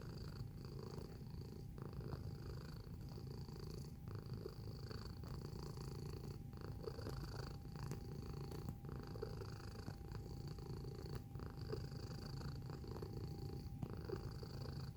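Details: Close-up domestic cat giving a long, steady purr, a soft low rumble pulsing evenly for the whole stretch, with a constant faint high-pitched hum behind it.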